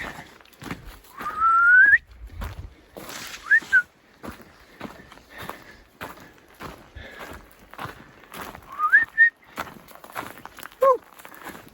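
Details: An elk bugles among trees in the Wallowas on 29 August 2021: a high, clear whistle that climbs steeply, with shorter whistled notes after it.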